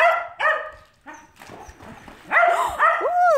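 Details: Cardigan Welsh Corgi swimming, giving high, harmonic yelps and barks with bending pitch in two bursts, at the start and near the end, while a woman speaks encouragingly in between.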